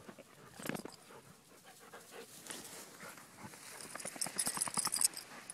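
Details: Puppies and an adult therapy dog on a group puppy hike, playing with a toy called the green monkey; rhythmic breathy panting bursts, scratchy rustling and brush noise growing louder toward the end, outdoors.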